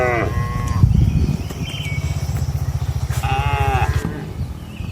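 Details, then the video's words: Nighttime cattle in a traditional countryside shed give two short moos, one at the start and a falling one near the end, between them a fast low rhythmic thumping close by. "Suara Malam di Kandang Sapi Lembu"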